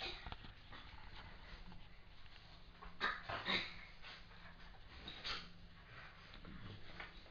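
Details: Border Terrier Bracken playing with Wicket, a Border/Jr cross, indoors: soft scuffling with short, breathy whiny bursts near the middle and again later, over a low steady background hum.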